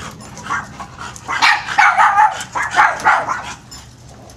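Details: Dogs playing, giving a run of short high-pitched barks and yips in quick, irregular bursts that grow louder midway and then fade.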